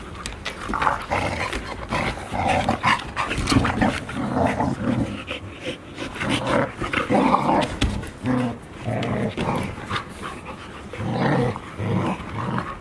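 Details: Five Golden Retriever puppies, 144 days old, playing together at Ain village in Japan on 15 September 2018; a steady run of low rough growls and grumbles rises and falls, with scuffling throughout.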